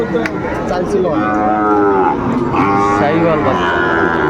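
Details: Sahiwal bull calves at a cattle market in Kushtia, Bangladesh, on 2 August 2024, where a farmer is buying; loud, drawn-out moos with rich harmonics, one after another, over crowd chatter.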